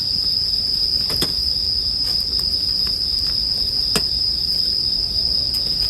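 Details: Bell cricket chorus meant for sleep, set against campfire sounds. A constant shrill ringing tone persists, broken only by occasional distinct snaps from the fire.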